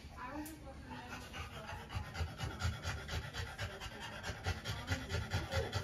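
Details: Female French Bulldog panting during trans-cervical insemination: rapid, rhythmic breathy puffs, a little over two per second and growing steadier and louder toward the end, with quiet human voices in the background.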